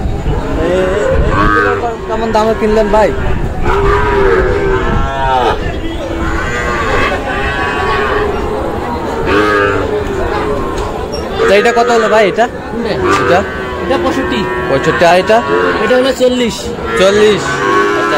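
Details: Sahiwal bull calves at a sale on Friday 9 June in Kushtia, lowing in deep, drawn-out moos that overlap one another almost continuously, with voices of people talking throughout.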